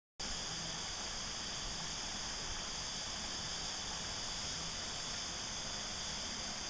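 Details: Cicadas at Christmas time keep up a steady, high, hissing drone with no breaks.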